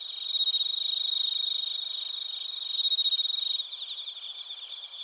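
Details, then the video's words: Chorus of crickets and bell crickets in Narita, Chiba, Japan, recorded on a TASCAM Portacapture X8; layered high-pitched trills with a loud clear ringing note that pulses rapidly, then drops away near the end. "スズムシとコオロギの鳴き声 - Chirping of crickets"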